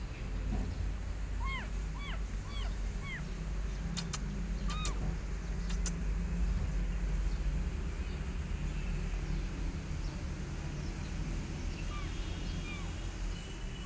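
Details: Rescued kittens, weaned by their mother cat in the street, give short, high, arched mews in a quick run of five or six, then a few fainter ones later. A constant low traffic rumble and several sharp clicks sit underneath.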